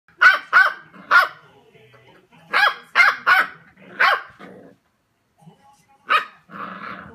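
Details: Pembroke Welsh Corgi, a female, barking at a toilet sheet she knocked over: sharp bark bursts in quick pairs and triplets, seven loud barks with short pauses between them, then a low grumbling growl at the end.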